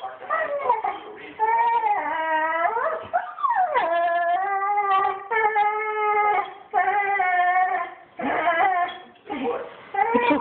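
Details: Banjo, a pet dog crying indoors while missing his owners, who left for a couple of weeks; long wavering, tonal wails rise and fall, broken by short pauses and a sharp upward swoop near the middle.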